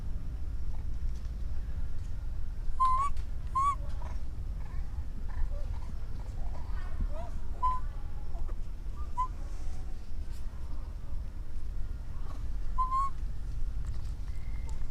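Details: Orphaned baby monkey calling for its mother: a series of short, clear, whistle-like coos, some rising and some dipping, repeated at irregular intervals over a low steady rumble, with faint rustling between calls.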